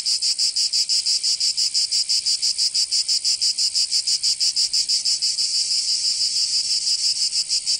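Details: Provençal cicadas in summer, southern France: high rasping drone with fast rhythmic throbbing near three beats per second, swelling slightly louder and more continuous toward the end.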